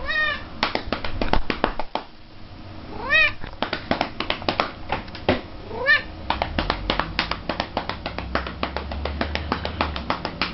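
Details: Indoor female pet cat meows three times in brief rising-then-falling cries while being spanked, with fast rhythmic hand slaps on her body continuing between and after the calls.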